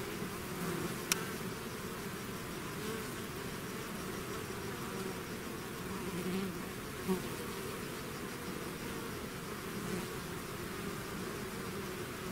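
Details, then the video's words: Natural buzzing of a bee swarm leaving its hive: a steady low droning hum of many wings, slightly quieter and even, broken by a sharp click early on and a couple of brief close fly-bys. "bees therapy swarm natural buzzing sound"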